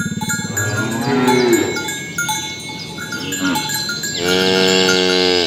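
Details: Morning herding of tame cows toward the pen on village roads; short lowing moos at the start, then a strong, steady moo near the end, amid cowbell chimes and chirping birds.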